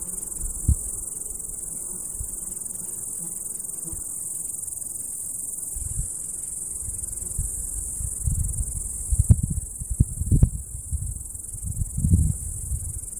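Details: Cicadas calling on a summer meadow: a continuous, very high shrill drone holds steadily throughout, while heavy low wind rumble and gusts buffet the recording, strongest in the second half.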